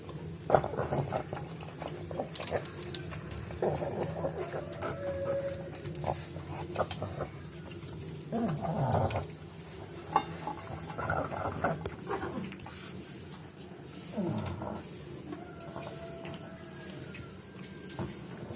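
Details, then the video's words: Daizee, a female pug, snoring loudly while asleep: low, rasping rumbles come in uneven bursts, with a louder drawn-out rattle midway and a smaller dip-and-rise near the end, over a faint steady hum. "pug daizee snoring"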